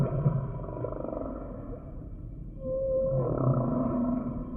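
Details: Humpback whale song phrase mixing low rumbling moans with a clear, steady mid-pitched whistle that holds briefly, then gives way to layered droning tones over a constant deep underwater rumble.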